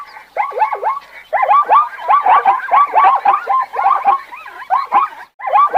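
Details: Zebra giving a steady run of hoarse, harmonic barks, each note swooping up then down, repeated over a second or so per few calls with almost no gaps, loud and close.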